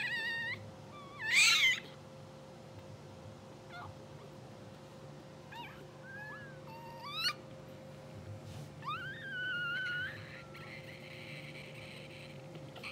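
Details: Two-hour-old English Bulldog puppies from a blue sable litter, sleeping, twitching and dreaming on a live puppy cam. They give high, thin squeaks that bend up and down, one loud burst near the start and a longer wavering squeal later, over a steady electrical hum.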